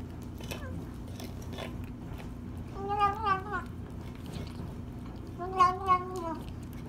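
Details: Sparkles, a rescued female kitty saved on the 4th of July, eating her first meal after five days stuck in a tree; two wavering, tonal mews come midway and near the end, between soft chewing noises in a small room.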